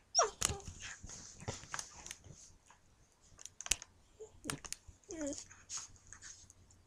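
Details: Dakota, a young female German Shepherd puppy, barks while playing with Bowser, a husky. Short, sharp yips and whiny bursts come scattered among scuffling clicks and thumps, with quiet gaps between them.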